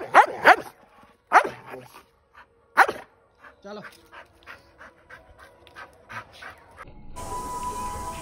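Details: A Bullmastiff doing long jumps on a ground barks four loud, sharp times in the first three seconds, then gives softer, shorter yelps amid a person's urging voice; music starts near the end.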